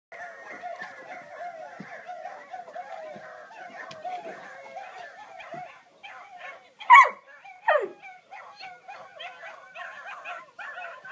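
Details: A male Basset Hound whines in a wavering, repeated tone, breaking into two sharp barks, while watching his favourite videos.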